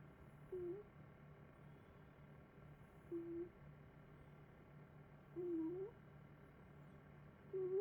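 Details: Puffy-kins, a pet cat, snoring while asleep: short whistled, slightly rising squeaks with each breath, roughly every two and a half seconds, over a steady low electrical hum.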